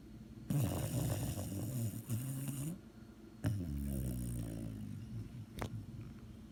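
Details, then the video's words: Sleeping dog snoring in low, rough, rumbling breaths, two long snores with a sharp snort near the end. "THE SNORING DOG"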